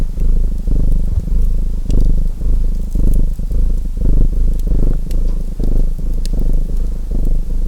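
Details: Low, throbbing cat purr pulsing in short breath cycles, some barely half a second long, with scattered bright crackles from a burning fireplace.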